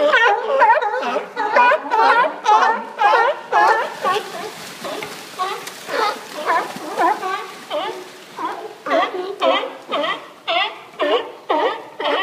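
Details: Several sea lions on a dock at Newport's Historic Bay Front, Oregon, keep up a steady run of rough, nasal barks, regular pulses about twice a second, growing more crowded and overlapping midway.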